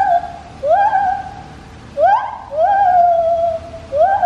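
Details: A white-handed gibbon at Taipei Zoo gives pure, hooting notes that swoop upward and then hold steady in long wails.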